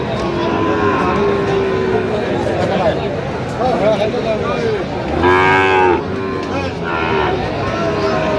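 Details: At a Feni, Bangladesh livestock market on 9 November 2025, Sahiwal bull calves are on sale to farmers. A drawn-out, harmonic-rich moo swells near the middle, with fainter lowing before and after, set against constant human chatter and crowd hubbub.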